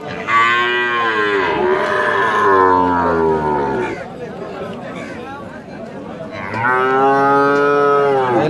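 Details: Holstein Friesian cattle at a market in Rajshahi, Bangladesh: three long, loud, strongly harmonic moos, the middle one sliding downward, with crowd noise and talk beneath.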